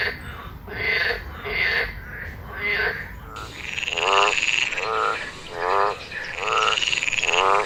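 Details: Several frogs calling together in their wild habitat, overlapping rhythmic pulsed croaks, some harsher and lower, others higher and buzzy, repeated steadily over a noisy background chorus.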